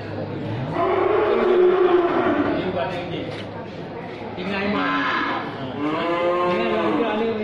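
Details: Cattle where many kinds are kept, from thin animals to jumbo-sized ones; a long low moo with a gently arching tone, then shorter wavering moos later, with people talking throughout.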